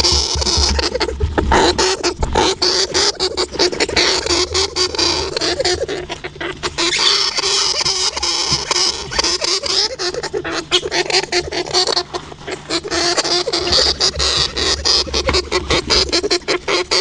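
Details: European hamster (Cricetus cricetus), calls.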